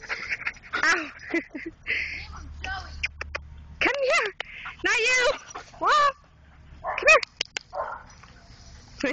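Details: Rescued greyhounds, all under two years old and formerly used as coyote hunters, give high, arching yelps and whining cries in short bursts, several overlapping, while people talk and call the dogs nearby.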